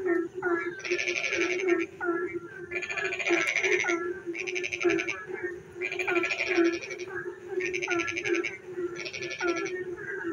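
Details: Frogs singing in the dark at night during rain: harsh, pulsed rasping bursts about a second long, repeated every second or two, over a steady low drone and shorter hooked croaks from other callers.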